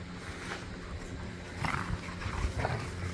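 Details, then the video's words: Pet dogs, pit bulls and a Malinois, romping and wrestling across a yard during a tug-of-war game with a squeaky toy; a steady low rumbling growl runs throughout, broken by short harsher snarling bursts. "The Sounds of Snarling, Growling and Squeaking"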